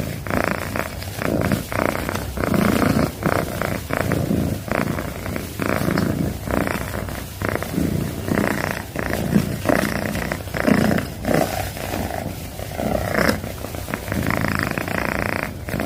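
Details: Domestic cat giving a long loud purr, low rumbling pulses rising and falling in a steady breathing rhythm, about one cycle every second or so, recorded very close.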